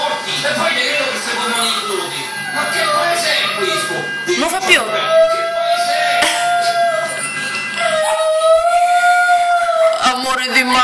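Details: A pet Chihuahua howls on hearing an ambulance siren: long sustained tonal wails with a rising onset, held for a few seconds each, with a lower harmonic drone and a woman speaking affectionately to the dog in Italian.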